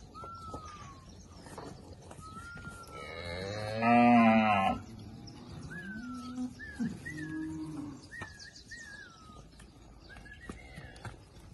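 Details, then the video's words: Girolando heifers, forty bred animals with a young Girolando bull, Passos, Minas Gerais, Brazil. A loud, rich bellowing moo peaks midway, followed by shorter lower moos; birds whistle in short falling notes before and after. "40 Novilhotas Girolando Entouradas, Passos MG"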